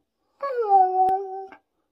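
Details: Pet Siberian Husky making a "talking" howl indoors: one smooth, level, sustained tone just over a second long, slightly falling at the start, cut by a brief click, ending abruptly in silence.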